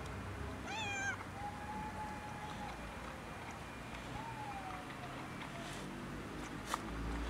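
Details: Female cat just rescued from a male cat trying to mate with her, meowing outdoors: a sharp rising meow, then long, level, drawn-out meows, over a steady background hum.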